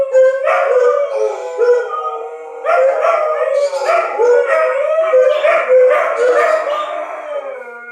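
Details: Dogs howling at a tornado siren test: overlapping drawn-out wavering howls, pitch sliding and breaking, several voices rising together in repeated swells across the whole stretch.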